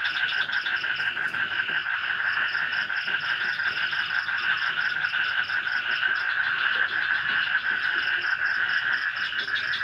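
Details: Frogs calling from a swamp at night in light rain, forest village in Indonesia; a dense continuous chorus of rapid pulsed croaks forming a steady buzzing band, with a faint high insect trill above.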